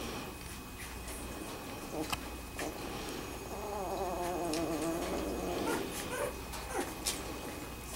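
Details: Two-week-old Wirehaired Pointing Griffon puppies of a kennel litter, indoors in a small room, give soft wavering whimpers and squeaks, strongest mid-clip, with faint rustling and clicks around them.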